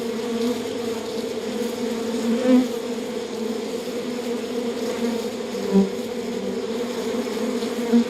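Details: Honey bees at a beehive, a dense steady hum of many bees with bands of low droning tone, a few louder passing buzzes standing out around the third, sixth and eighth seconds.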